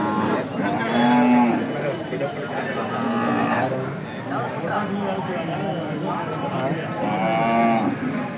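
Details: At the KG Temple cattle market, 24 November 2025, Hallikar cattle give three brief, flat, low moos spread across the stretch, half-buried in busy crowd talk and market noise.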